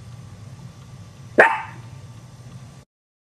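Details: Chihuahua puppies getting scared: one sharp, high yipping bark bursts out midway and fades quickly, set against a steady low hum, with quiet before and after.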